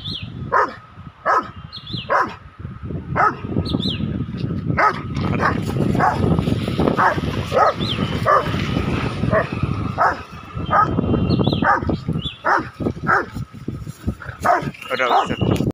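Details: Rottweiler (Canis lupus familiaris), bark: aggression toward a cow.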